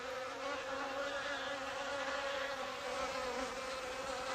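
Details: Hornets attacking a native honeybee colony, seizing and killing the guard bees at the hive entrance; a dense, steady, droning wing buzz with a low hum, continuous throughout.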